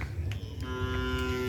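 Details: Cattle on the event field where release is announced: one sustained, even-pitched moo begins partway through and holds steady to the end, under crowd noise.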